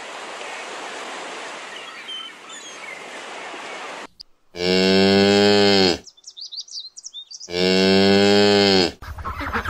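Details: A cow gives two drawn-out, deep, even moos after a few seconds of hissing background noise. Each moo lasts about one and a half seconds, separated by a gap of light chirping.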